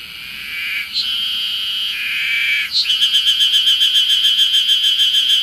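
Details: Ezo harusemi cicada song on Mount Ryozen, Fukushima, Japan, 20 June 2021, early summer; two steady high buzzes give way to a loud, quickly pulsing throbbing phrase, about three to four beats each second, amid a busy chorus.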